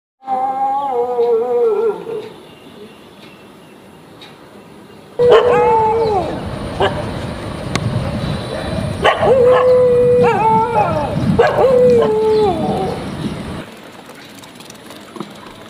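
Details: Running dogs barking and howling: a wavering, drawn-out howl at the start, then noisy stretch of repeated yelping, bending barks and howl-like cries over rustling and scuffling, fading to quiet background.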